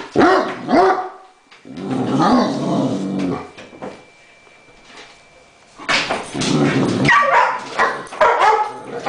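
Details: A Great Dane gives deep, bursting barks mixed with low growls in uneven volleys, upset at a remote-control helicopter.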